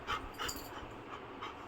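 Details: Labrador Retriever dog meeting its pup after a long time, playfully tussling; soft rapid panting breaths with faint whimpering, a woman talking nearby.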